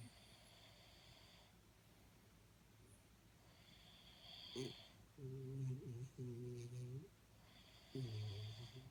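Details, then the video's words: Jaxie the Jack Russell Terrier, asleep, snores with droning, slightly tonal breaths in three drawn-out pulses after a soft hissing inhale, over a faint steady hum. "Jack Russell Sleeping & Jack Russell Snoring"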